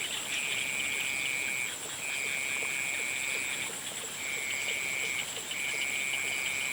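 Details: At sunset, frogs give long, even trills, each about a second or more, with steady high insect buzzing behind.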